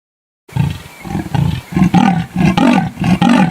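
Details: Leopard (Panthera pardus), roar.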